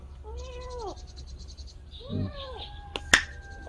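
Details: Orphaned kitten that lost its mother, cared for indoors after its first night: two clear, tonal meows, the first level and drawn out, the second a short arched cry, followed by a sharp knock.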